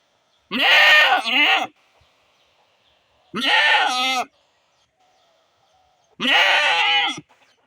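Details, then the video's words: Separated from her herd and held back from grazing because her kid is ill, a domestic she-goat cries for the herd: three long, harsh, quavering bleats, each over a second, roughly every three seconds. "boring sound of goat"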